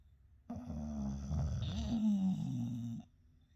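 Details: Two English Bulldog brothers sleeping together and snoring loudly indoors; a single long, buzzy, low rattling snore lasting about two and a half seconds, rich in layered harmonics, between quiet pauses.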